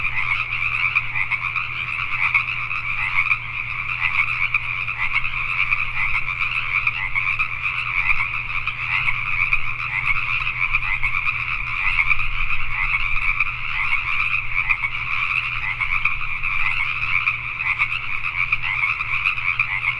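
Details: Many Pacific tree frogs croak together after dark in Richmond, British Columbia, Canada. Their raspy, two-toned calls merge into a thick, ceaseless chorus, with a low mechanical hum audible throughout.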